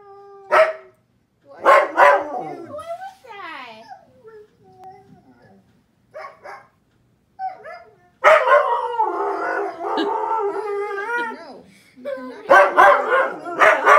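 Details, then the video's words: Pet husky howling at the TV beside a German Shepherd indoors: drawn-out wavering harmonic howls and short sharp barks, then a dense, loud stretch of overlapping yowls and sliding tones, ending in quick bark bursts. "Husky howling at tv"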